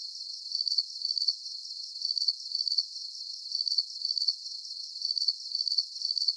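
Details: Crickets chirping in a looping nighttime sleep soundscape: high, pulsed trills in short bursts roughly twice a second, with a steady shimmering hiss and no low sounds beneath.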